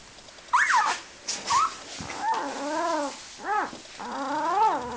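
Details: Pet dog howling on a person's encouragement: after two brief rising yelps, wavering arched tones with rich harmonics rise and fall in three drawn-out phrases over a few seconds.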